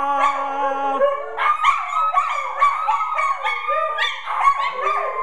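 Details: Several house dogs, untrained, howl together on a Friday night in response to a spoken prompt to sing, in wavering, rising and falling tones with short yips breaking into the long notes.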